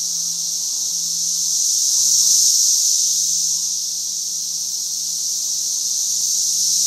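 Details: Periodical cicada brood at its peak emergence in mid Missouri, crowding a single tree: a dense, continuous high buzzing chorus that swells and fades slowly, loudest near the middle, with a faint low hum beneath.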